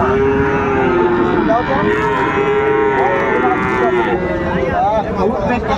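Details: A Friesian calf at Ranigonj cattle market, Dinajpur, Bangladesh, on 28 November 2024. A long, even moo runs for several seconds, with shorter calls from other cattle and market chatter around it.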